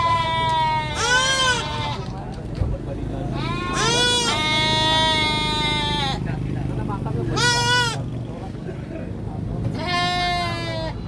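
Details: Baby goat screaming in loud, strained bleats with a wavering pitch. Four cries of about one second each, spaced irregularly, over a steady low rumble of background noise.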